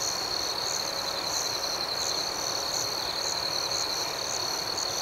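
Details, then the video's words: Nighttime cricket chorus, a dense shrill ringing tone with overlaid rhythmic chirps pulsing steadily, without pauses or other sounds. "Soothing Cricket Sounds"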